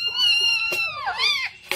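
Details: Single drawn-out meow from a blue-eyed Siamese cat, held steady and high-pitched before dipping and rising again in a wavering bend, with a soft tap at the start and end in a small room.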